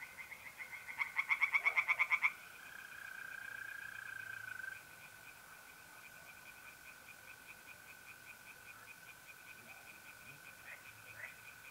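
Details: Tree frogs singing in a pond on an April night in north-east Italy: a loud burst of fast, rapidly pulsed croaks, then softer repeated pulses, over the steady, unbroken trill of mole crickets.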